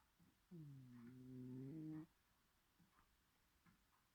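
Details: Sleeping Bengal cat snoring loudly; a single drawn-out, tonal, buzzing snore lasting about one and a half seconds, followed by quiet soft breathing.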